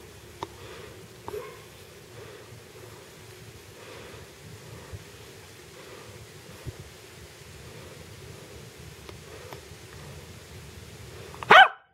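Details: Quiet rustling and a low hum run through the recording with occasional soft clicks, ending in a sharp loud knock.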